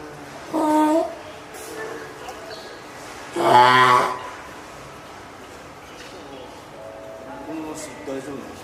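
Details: Hand-reared female spotted seal pup, born 19 April, at Oga Aquarium, Japan, on 9 May 2017, calling loudly, perhaps from hunger or to reach the keeper. Two harsh, harmonic wails, the second longer, in a quiet indoor room.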